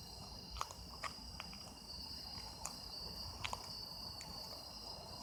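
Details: Autumn insects recorded as sound-effect material: a steady high continuous trilling chorus in layered bands, broken by scattered sharp clicks and knocks, over a low rumbling background.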